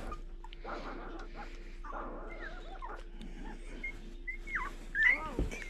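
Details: Newborn Laika puppies whimpering as they are calmed and moved to their mother; short thin squeaks, some rising and some falling, grow more frequent toward the end, with a person softly hushing and murmuring and some rustling.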